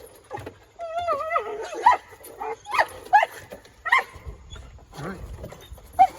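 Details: A collie named Mr. Speckles, excited while playing ball on a backyard playground made for kids, gives a long warbling whine. Quick yelping barks follow, roughly every half second to a second, mixed with some human voice.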